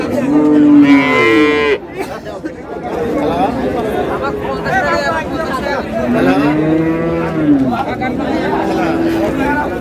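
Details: Dairy cows and calves of improved breed at Ambari cattle market, Dinajpur; a loud strained moo opens, then later long wavering lowing calls rising and falling, over constant chatter of a market crowd.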